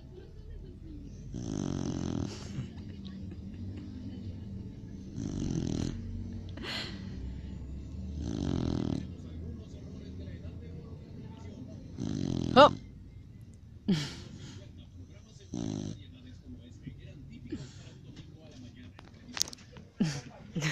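A Cocker Spaniel snores in slow, rasping breaths that come about every three seconds.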